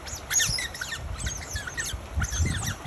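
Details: Smooth-coated otters squeaking during a beach battle between two families of six in northern Penang, Malaysia, on 28 June 2021; repeated high, sharply falling squeaky chirps in quick bursts over low rumbling surf and wind.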